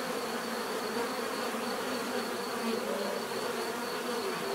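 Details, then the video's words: Bees producing a uniform, rich droning buzz, overlapping wing hums forming a continuous wall of sound with slight wavering pitch, offered as relaxing natural bee buzzing. "bees therapy relaxing natural buzzing sound"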